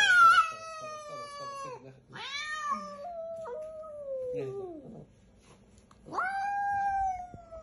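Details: Billy the cat, upset with the vet, lets out loud drawn-out yowls with a strained, descending tone, a pause, then another long wail.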